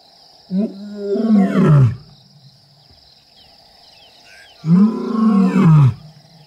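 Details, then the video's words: Lions of the Kambula pride and Ndhzenga males roaring in MalaMala Game Reserve while mating: two deep, throaty grunts about four seconds apart, each rising then sliding downward, with a constant high-pitched insect drone in the background. "Mating and roaring LIONS"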